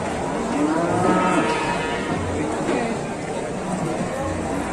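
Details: Cattle calves mooing, several low, harmonic moos overlapping one another over steady background murmur, with no clear gap between calls.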